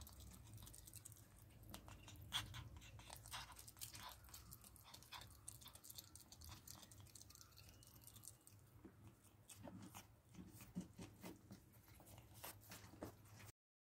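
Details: Domestic ferrets feeding on raw rabbit carcass, chicken neck and beef; steady soft crunching and gnawing clicks continue throughout, thickening into dense bone-cracking bursts toward the end, in a quiet indoor room.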